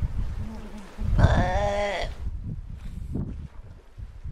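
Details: Galapagos sea lion calling on a Galapagos Islands shore: a single strong, nasal, bleat-like cry of nearly a second with rich wavering harmonics, between softer low grunts and background rumble.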